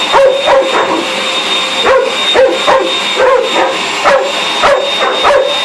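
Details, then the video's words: Pet dog going mad at a running vacuum cleaner indoors, giving short sharp barks and yips roughly every half second to second in rapid bursts, over a steady whine of the machine. "going mad with the hoover"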